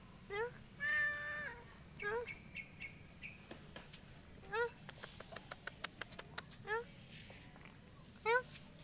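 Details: Cat that climbed up fast but struggles to get back down, giving short high mews, about eight in quick succession, each rising then dropping, with a longer drawn-out cry near the start and light tapping and clicking sounds between.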